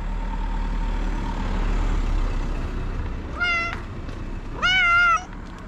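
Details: Homeless street cats, hungry and waiting to be fed, give two clear meows near the end, the second longer and louder. Heavy traffic rumble fills the background throughout.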